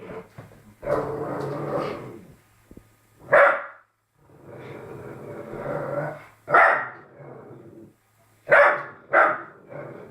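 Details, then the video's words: Young Labrador Retriever barking at its reflection: four sharp, loud barks spaced irregularly, two close together at the end, separated by low rough grumbling growls, in a quiet room. "labrador puppy barking at reflection"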